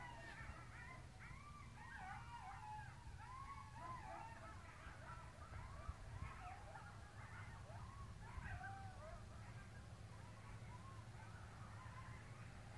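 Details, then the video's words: Coyotes yelping at night near a house in Dularge, a sound heard nightly: many overlapping wavering yelps and short rising-falling howls tumble together continuously, heard at a distance over a low steady hum. "Coyote yelping on Dularge"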